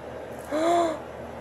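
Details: A female Husky, scolded after making a mess, answers with one short tonal whine that arches up and falls back over about half a second; a voice scolds her as naughty just before and after.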